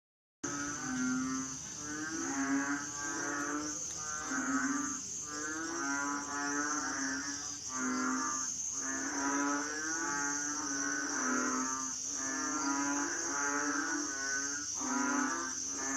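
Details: Asian frogs calling: a chorus of low, nasal, moaning calls with rich harmonics, overlapping in quick pulsing bursts about every second, over a constant thin high-pitched whine.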